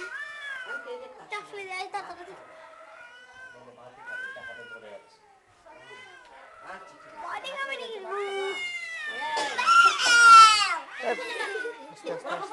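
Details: Two cats trading repeated rising and falling meows, some drawn-out and wailing, about two per second at times, with a loud strained yowl near the middle and faint people talking in the background.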